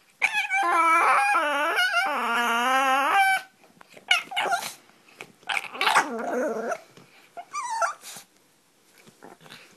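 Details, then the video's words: Pomeranian puppy at play makes odd noises. A long wavering, yodelling howl of rising and falling notes lasts about three seconds. Then come short yips, squeaks and grumbling growls in scattered bursts. "Funny pomeranian puppy playing - weird sounds!"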